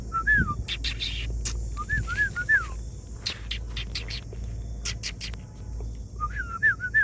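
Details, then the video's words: A homeless dog makes pitiful sounds as if asking for help. High, thin whines rise and fall, coming in three bursts of three or four cries. Sharp clicks and a steady low hum run beneath them. "A homeless dog was making sounds as if asking for help—a pitiful dog."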